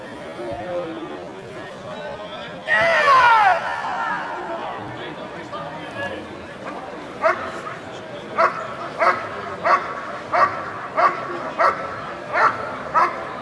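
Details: Dog in a 2014 NIAK protection work trial: a loud shout-like burst, then sharp barks repeated steadily about every half second, with noise from the trial field.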